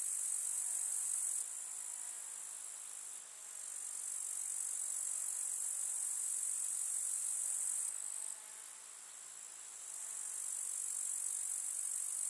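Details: Grasshoppers chirping in a summer meadow of wildflowers in the countryside: a dense, unbroken, very high shimmering buzz from many insects, with the chorus briefly dropping quieter twice before swelling back.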